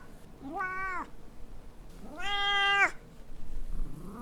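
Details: Pet cat Rosalie, captured with a Zoom H4N, lets out two clear meows, the second longer and louder, then starts a third rising call at the end in a quiet room.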